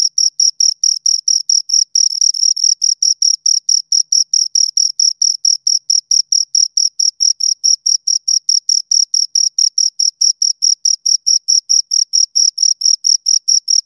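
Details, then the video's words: Two crickets rubbing their wings, a rapid, very high metallic chirping in tight regular pulses, briefly merging into a longer buzz near the start, then steady for the rest. "Two Crickets Chirp Sounds"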